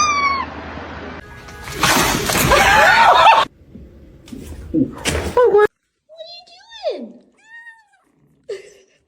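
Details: House cat giving several separate meows after loud rustling and a human voice: one long wavering mew that slides downward, followed by two short, thin cries spaced about a second apart in otherwise quiet surroundings.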